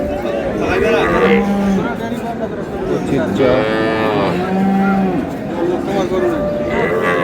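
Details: Cattle at Ambari livestock market, cows and calves for sale: several long, low moos with rising and falling tone overlap amid crowd chatter and men haggling.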